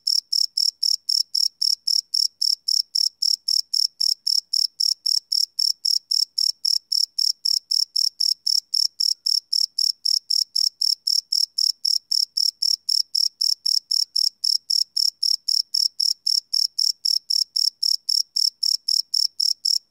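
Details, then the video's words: Crickets singing at night, recorded live on a field recorder with no looping: an unbroken, metronome-like series of shrill chirps, close to four each second, roughly seventy-five pulses, no other animals or noise. "Cricket Chirp Sound - Cricket Sounds at Night"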